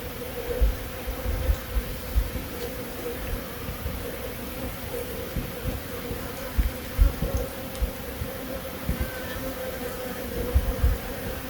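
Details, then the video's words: Continuous drone of honey bees in Himachal Pradesh, India, a steady mid-low hum held throughout, punctuated by scattered low thumps and bumps, possibly from wind or handling. "Honey bee sound effect"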